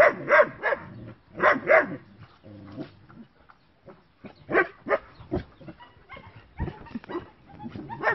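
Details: Bicolour and black working-line German Shepherd puppies with short coats yapping in irregular bursts: paired loud barks at the start, then scattered, quieter yips and barks overlapping one another.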